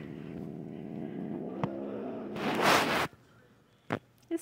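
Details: Domestic female cat, unusually grumpy one night, growling and hissing while her nails are clipped. A low, rough growl runs for about two seconds, then a sharp breathy hiss bursts out, followed by quiet with a few clicks and handling noises.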